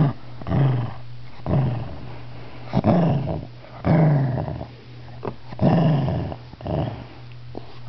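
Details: Shih Tzu disturbed while napping, touched and protesting: low rumbling growls in repeated bursts about every one to one and a half seconds, each swelling then fading, with a continuous low hum underneath.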